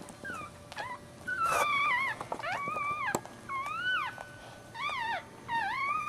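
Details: Maltese puppy just born feet first (breech birth), mother named Jojo, March 2009: loud high whimpering squeals that arch up then slide down, repeated about every half second to a second, over a low constant hum.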